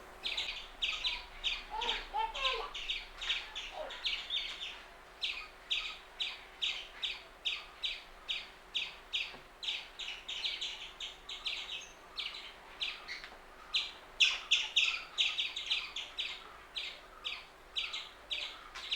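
An Indian palm squirrel gives sharp, high chirps, repeated steadily about three times a second.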